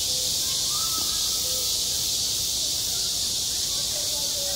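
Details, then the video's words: A school playground in the heat of summer rings with cicadas: an even, intense high buzz, with scattered faint short tones and soft background sounds underneath. "한 여름 운동장에서 매미가 울고 있다 - 여름의 소리, 학교 종소리, 매미 울음소리"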